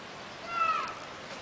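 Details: Squirrel monkey, described as small and friendly, giving one brief clear whistled call that holds a steady high tone and then slides slightly downward, with faint overtones above it and a soft background hiss.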